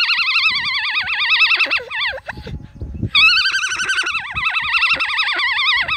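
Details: Farm alpaca in County Kilkenny, Ireland, a female, performing her opera song: a sustained high quavering whine that dips into a falling squeak, with a soft rustle, then resumes as a steady trembling note.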